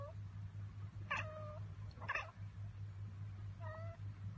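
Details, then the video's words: Domestic cat chattering after spotting a bird or insect it cannot get to: two short clicky bursts, each trailing into a brief squeaky chirp, then a third chirp a little later, over a steady low indoor hum. "Cats Ekekekeke Compilation - Cats chattering at birds!"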